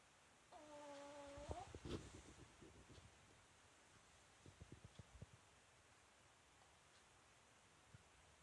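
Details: Female Pomeranian named Myu snoring in her sleep, a loud whistling snore. One steady nasal tone lasts about a second, followed by soft clicking breath sounds and quiet stretches.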